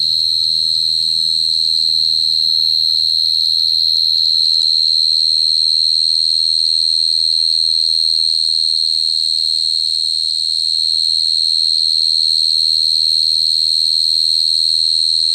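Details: Cricket singing: a loud, steady, high-pitched trill that holds one unbroken tone for the full fifteen seconds, with a faint low hum underneath.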